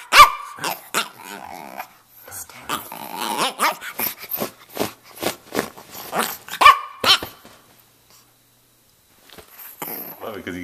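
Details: A roughly two-and-a-half-year-old male Brussels Griffon, red with a rough coat, from Miami, keeps up a rapid string of growling, muttering yips and snorts, then falls quiet near the end with faint noise.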